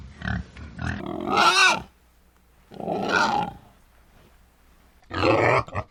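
A wild boar gives rough, noisy grunts and squeals in three bursts, the longest over a second, with quiet gaps between them.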